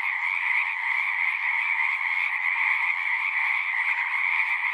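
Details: A steady frog chorus from a pond in a horse pasture, Zoom 6 recording: many callers merge into one bright, continuous trilling hum, slightly swelling and easing without any silence.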